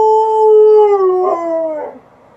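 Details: Alaskan Malamute named Liza howling inside the house at an outdoor siren; a single sustained tone that bends downward, wavers and fades away into quiet.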